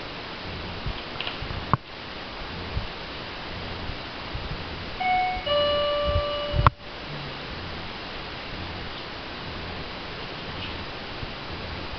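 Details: Soft background music with a steady ticking beat and a brief bright chime of rising tones midway, with no animal voice.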